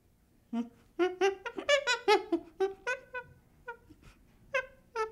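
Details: Baby chimpanzee giving a run of short tonal whimpers and squeaks, rich in harmonics, in bursts with brief pauses, quieter calls toward the end; indoor setting.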